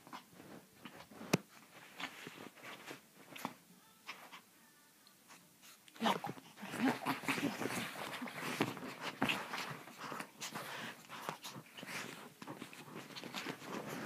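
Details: Pepito the Chihuahua, called crazy, in a small room: a few sharp clicks and soft sounds at first, then from about six seconds a continuous rough, rasping growl with faint whimpering tones running to the end.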